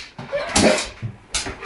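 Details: German Shepherd dog indoors, reacting to a toy mouse it sees for the first time: short bursts of bark-like sound, one with a brief tonal whine, spaced around a second apart, with a person's voice nearby.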